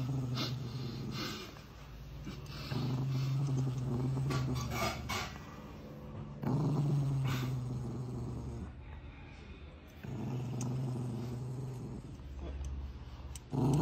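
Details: Angry dog growling: a deep, steady rumbling held in long stretches of a few seconds each, broken by brief pauses, with faint rustling and scratchy noise above.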